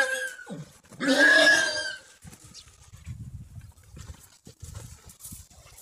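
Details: Stallion choosing a mare: a loud, harsh, harmonic squeal of about one second with a steady upper tone, preceded by a short lower cry and followed by quiet low thuds and rustling.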